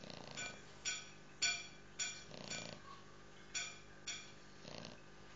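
A young English Bulldog puppy snores with short, raspy, breathy bursts about every half second.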